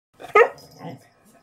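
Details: A seven-month-old beagle barks while playing with its owner, recorded in December 2021: one loud, abrupt bark, then softer huffing sounds. A person says "oh" just after.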